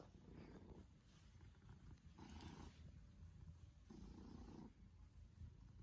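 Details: Affectionate male Maine Coon cat purring loudly while trying to lick a hand during cuddle time indoors, deep rhythmic rumbling purr swelling and fading in cycles of about one and a half to two seconds.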